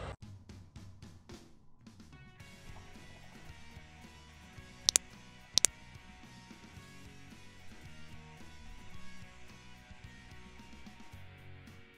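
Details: Background music with a drum kit plays throughout, with two sharp loud clicks near the middle.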